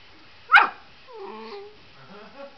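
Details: An Airedale Terrier puppy, wanting a greenie dog treat, lets out one sharp, loud bark followed by soft whining whimpers that waver in pitch. A man calls to the dog nearby.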